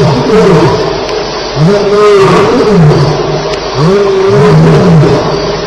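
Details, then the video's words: Lions fighting at Elephant Plains in the small hours of July 9, 2010: loud, throaty snarling roars in repeated bending harmonic sweeps, one animal answering another, over a constant background of chirping crickets. "Lions Fighting - Sounds at Elephant Plains"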